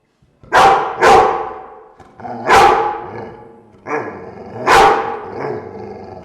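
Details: Dogs in a room barking loudly in an uneven volley of five harsh barks, with growling rumble filling the gaps between them.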